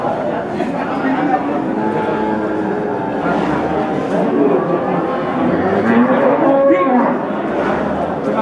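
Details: Limousin cattle, including cows, low amid the busy murmur and talk of a crowded morning cattle market at Pasar Paing, Pati, Indonesia.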